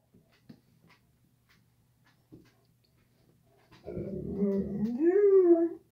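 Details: Leonberger dog indoors, after a few quiet clicks and thumps a sudden loud whining howl that wavers and rises in pitch for about two seconds, ending abruptly.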